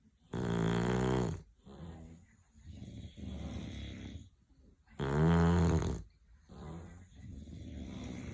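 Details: English Bulldogs snoring: two loud, rattling, nasal inhaled snores about four seconds apart, each followed by softer, low, breathy wheezing exhales.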